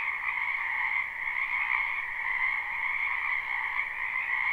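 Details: Many frogs croaking in a spring wetland behind a house, recorded live without looping: a dense, unbroken chorus of high trilled calls in two steady bands, pulsing slightly in loudness, with no other sounds.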